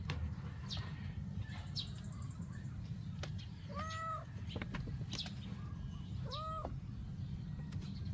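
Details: Eight-week-old adopted stray kittens at play in a backyard give two short, arched meows about two and a half seconds apart. Constant low background rumble and light tapping noises fill the gaps between calls.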